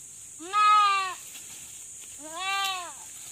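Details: Farm goat in labour, giving birth with a person assisting the delivery: two loud, harmonic bleats, each about two-thirds of a second, rising then gently falling in pitch, separated by a short pause over a steady background hiss.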